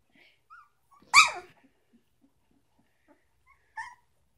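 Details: A three-week-old puppy gives one sharp, loud yelp, followed by a few faint squeaks and a short higher whimper near the end, in a quiet indoor setting.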